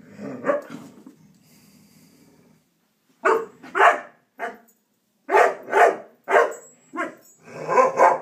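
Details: Puppy named Bonnie barking indoors: a soft growly rumble at first, then a pause followed by loud, sharp barks in quick pairs and short bursts, about nine in all.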